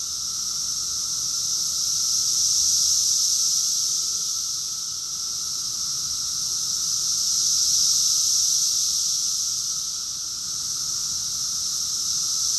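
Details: June 2021 cicada chorus from Rockville, Maryland, USA: a loud, seamless high-pitched whir of many insects pulsing in long surges, peaking near three and eight seconds, with a quieter steady undertone.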